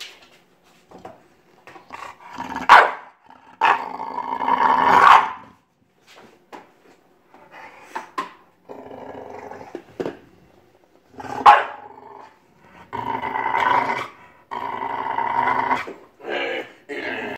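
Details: English Bulldog; growls and barks; play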